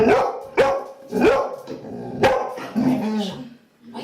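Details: Luna, a female Labrador Retriever aged one year two months, begging indoors for a sweet: about four short, sharp barks with rising whiny tails, then a lower drawn-out whine, with a person speaking French in the room.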